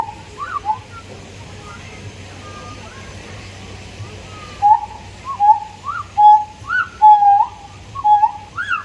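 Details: Siamangs, the endangered arboreal black-furred gibbons of Indonesian, Malaysian and Thai forests, calling: short whistled hooting notes, some swooping upward, come faintly at first, then grow louder and quicker in the second half, against a steady low background hum.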